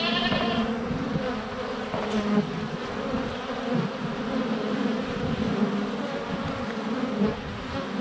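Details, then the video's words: Honey bees buzzing at the hive entrance on a sunny February day, recorded close with a GoPro Hero 7 Black; steady humming drone, with a short bleat-like goat call at the start. "4K Honey Bees - ambient video and audio"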